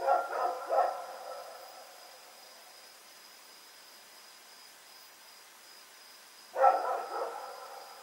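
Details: Rex, a dog running around after dark, barking on 7 October 2018: a rapid triple bark opening, then silence for several seconds before another bark with trailing echoes, over a faint steady high tone.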